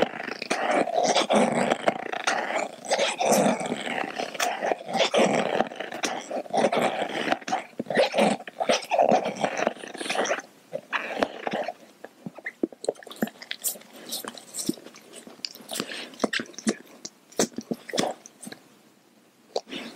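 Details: Growling from a pet dog gnawing a dental chew toy, one of two dogs, Kaia the Doberman and Edu the Baja rescue, sharing it. A throaty growl fills the first ten seconds, then fades into rapid clicking and scraping bites with brief quiet gaps.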